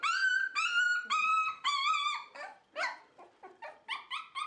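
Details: Dog whimpering in a small room at a Dutch Shiba Inu and Samoyed breeder's home, high tonal whines of about a second each that drift and waver, then shorter broken yelps, roughly two per second.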